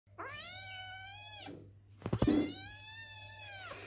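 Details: Kitten crying to be picked up and held: two long plaintive meows, each over a second, rising then held and falling slightly at the end, separated by a brief rustling thump, with a faint low hum behind.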